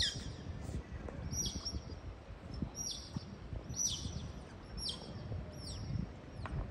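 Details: Several sea otters at Keppel Harbour in Singapore give bursts of shrill, downward-sweeping squeaks in loose clusters about every second, against broad low background noise from the harbour.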